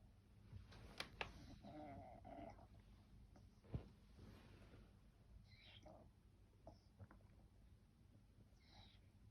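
A sleeping French Bulldog snores in low, rough, rumbling breaths, with a few faint clicks and snuffles.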